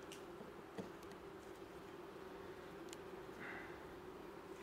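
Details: Steady droning of a honey bee colony while frames are inspected during a second 15% lactic acid spray treatment, July 2019; the even low buzz continues throughout, with faint clicks and rustling from handling.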